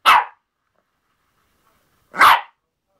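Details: Two sharp, high yapping barks about two seconds apart from a playful Yorkshire Terrier busy with a hairbrush, with silence between them.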